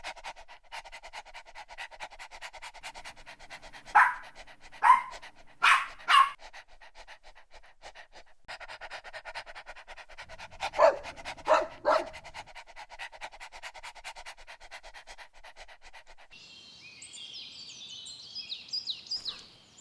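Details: Energetic dogs at play on a green meadow pant rhythmically while letting out bursts of two or three quick barks, first near the start, then again midway; birds twitter toward the end.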